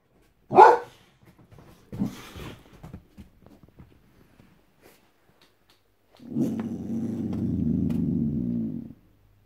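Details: Boss, a white Boxer dog, guarding: a sharp single bark, then a second rougher bark trailing into short grunts, followed after a pause by a long, low, rumbling growl lasting nearly three seconds.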